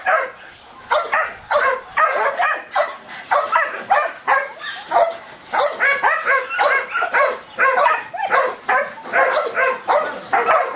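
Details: High ball drive in a Belgian Malinois: eager, yippy barks repeated quickly, some doubled, at an even frantic pace.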